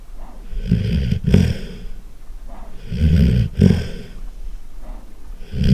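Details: Loud snoring from a Golden Retriever asleep: deep, rattling, snorting inhalations, about three in six seconds, each ending in a sharper snort, with faint breathing between.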